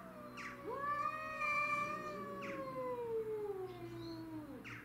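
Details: Two-voiced caterwauling from domestic shorthair cats in a territorial fight, Tom, Mimi and a grey-and-white stray; a sustained high yowl over a lower moan that slowly falls, with brief hissy spits between.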